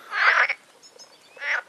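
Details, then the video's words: Frogs in a pond on a nature trail at Agios Demetrianos, Cyprus, in spring mating season: two loud, harsh, rattling croaks about a second apart, each lasting under half a second. "Frog chorus on nature trail in Agios Demetrianos in Cyprus"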